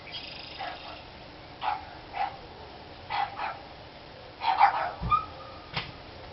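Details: Dogs barking on 29 March 2013: a run of quick barks, some doubled in pairs, growing louder and bunching together toward the end, with a faint voice and a background hiss.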